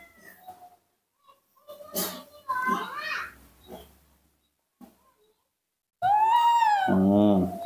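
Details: Baby monkey, hand-raised indoors, calling for milk: soft human talk in Indonesian, then a loud, drawn-out harmonic scream that rises and falls, followed by a lower wavering cry near the end.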